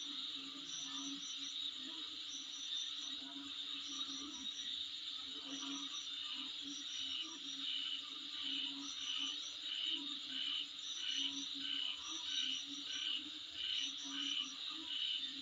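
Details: Insect chorus outside a residence, dense high-pitched trilling with bursts of rapid pulsed chirps recurring roughly every second or so, a faint steady hum underneath throughout.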